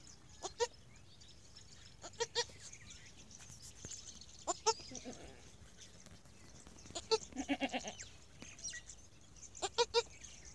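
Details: Newborn goat kid on its first day giving short, sharp bleats, each a brief buzzy burst of stacked tones, spaced irregularly about every two to three seconds with a quick cluster near the middle; faint hiss in the background.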